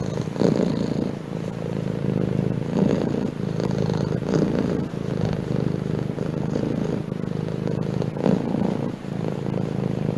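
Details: Low, continuous purr of a house cat, a throaty vibrating rumble rising and falling with each breath in and out, close and even throughout.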